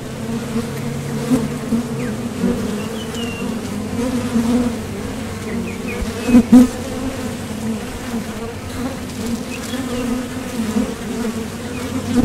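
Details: Honeybees at a Top Bar Hive entrance heading out for nectar and returning; even, low-pitched buzzing chorus with occasional close passes louder around the middle, faint bird calls behind.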